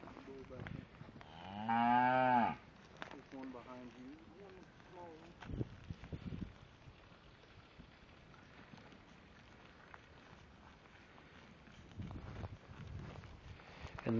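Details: Shorthorn cows with calves: one loud, drawn-out moo early on, followed by a softer, wavering second call, then a long quiet stretch of faint farmyard background with a few brief knocks.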